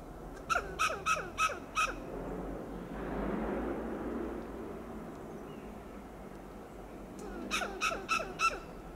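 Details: Western gray squirrel on a coast live oak in Del Monte Forest, California, giving loud alarm calls: a burst of five harsh, clucking barks, a pause with rustling, then another quick run of five, each rasping note fast and rhythmic.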